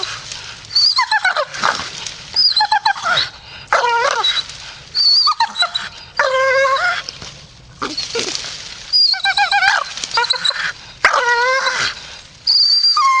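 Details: A Staffordshire Bull Terrier in a grumpy mood grumbles and whines in a run of wavering, moaning phrases. Some rise and some sag, broken by short silences.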